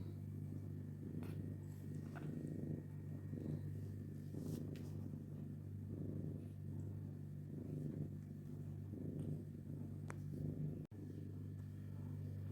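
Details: A cat with its kittens purrs in a deep, even rumble that pulses with each breath roughly once a second, a few faint clicks scattered over it and a steady low hum behind.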